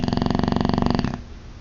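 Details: Boxer dog named Ozzy asleep, snoring loudly indoors: a single rattling snore with rapid regular pulsing for about a second, then quiet.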